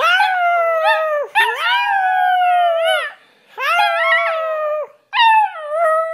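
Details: Young puppy howling: three drawn-out, mournful howls, each opening with a sharp rising yelp, then sliding slowly downward with a wobbly, quavering tone, separated by short breaths.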